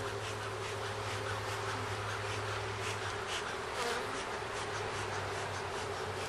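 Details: Honey bees at a hive during a first hive check, some comb found, bees returning with yellow pollen on their legs; steady dense buzzing hum throughout with a low droning tone underneath.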